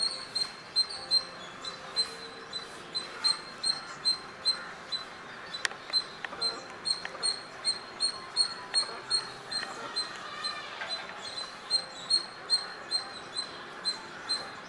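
A squirrel chirps steadily, each note a brief, thin, high-pitched chip, with two or three coming every second at a slightly irregular pace. A soft hiss of background noise sits underneath.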